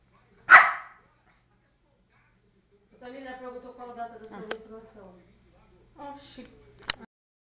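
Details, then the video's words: Poodle, very angry and on the attack, gives one loud sharp bark, then low voiced sounds under a person's talk, ending with another short bark. "Poodle feroz ATACANDO / poddlre very angry"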